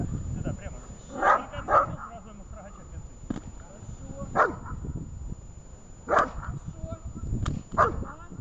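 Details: Shaman, a dog in protection training, gives sharp single barks in bursts: two close together, then spaced barks near the fourth, sixth and eighth seconds, over low rumbling background noise and a steady high tone.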